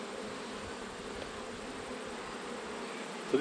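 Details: Honey bees humming during an autumn hive inspection: a uniform, low, steady drone with soft overtones, and a short knock at the very end.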